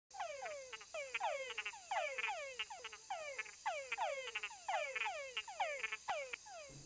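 Túngara frogs give repeated downward-sweeping whines, the males' mating call to attract females.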